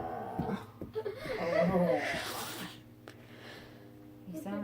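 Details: Pet dog reacting after its face is blown on, making low, drawn-out groaning moans with a steady tone and wavering overtones. Mixed with people talking and laughing in a small indoor room.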